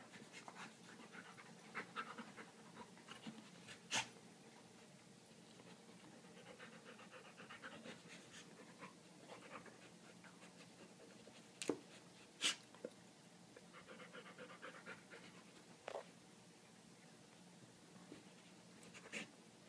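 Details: Dog named London, happily playing indoors with a favourite rock pulled from a creek, breathes in soft, quick panting bursts that come and go between quieter stretches, with occasional sharp clicks and knocks.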